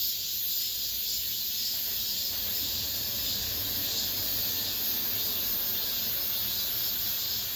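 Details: Cicadas in an apartment complex, the last of this summer's song: a dense, steady high-pitched hiss with a softly pulsing shimmer, continuous for the whole stretch.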